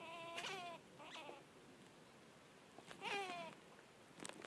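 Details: Baby squirrel hanging on an outdoor wall, making very loud, odd squeaking: three short harmonic squeals, each sliding downward in pitch, two close together early and a longer one later, over faint background hiss.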